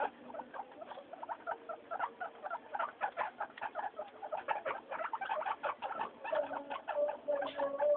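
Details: Noisy guinea pigs Mayumi, Archie and Miyuki out for weekly floor time, giving a steady stream of quick clicking chatter, with brief squeaky bursts and a rising drawn-out squeal near the end.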